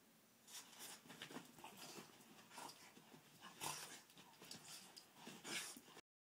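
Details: Cash Money, a pet Boston Terrier, rolling about in playful 'doggy breakdancing' indoors, gives uneven huffing pants with airy, hissing bursts, then a sudden cut to silence near the end.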